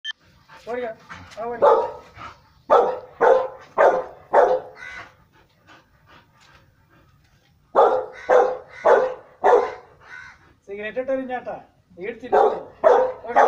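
A Rottweiler barks deeply in quick bursts of three or four, with a person's voice in between.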